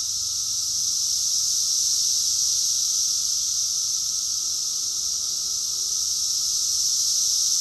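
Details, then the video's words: A June 2021 chorus of cicadas in Rockville, Maryland, USA: a continuous sizzling drone of high insect song, nearly level in volume, with a soft constant tone and faint low rumble beneath. "Cicadas song || Cicada's chorus song"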